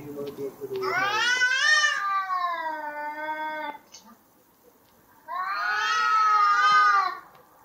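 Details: Two cats in a brawl scream at each other: a drawn-out, quavering howl lasting about three seconds, then silence, then another rising, trembling yowl that swells and fades.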